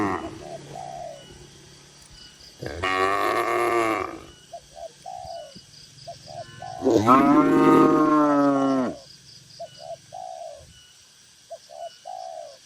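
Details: Dozens of tame cattle gathered in a farm barn pen, calm and rural; two long, loud, harmonic moos, each lasting about one and a half to two seconds, separated by quieter stretches filled with short, repeated bird-like notes.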